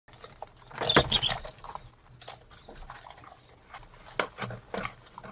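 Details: Pet mice squeaking while mating, short high-pitched chirps and clicks scattered across the recording, with a louder burst of squeals near the first second and softer rustling between calls.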